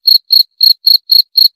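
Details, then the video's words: Cricket chirping: six short, bright, high-pitched chirps, each a quick buzzy pulse burst, repeated about four times a second with clean silence between and no other sounds. "29 Menit Suara Jangkrik - 29 Minutes Cricket Sound Effect"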